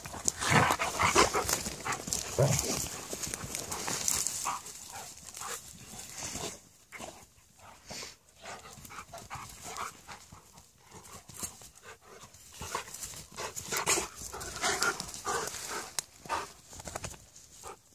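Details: A Malamute and a Husky in friendly play fighting: rough growls, grunts and yips bursting irregularly among scuffling sounds, with a person's voice heard briefly.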